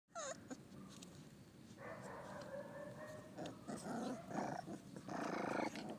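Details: Pit bull puppies making thin, wavering whines in two stretches, the first around two seconds long and a later shorter burst, over scuffling and soft rustling noise.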